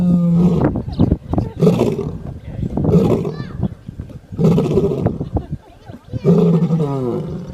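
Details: Lion, the king of the jungle, snoring while asleep: deep, harmonic, droning breaths in bouts about a second long, separated by shorter noisy rasps and gaps of quieter breathing.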